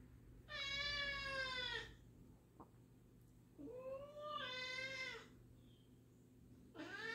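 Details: New black-and-white cat and black cat Jill meeting indoors, Jill wary; loud, bright, strained meows lasting over a second each, about three in seven seconds, one wavering, over faint room hum.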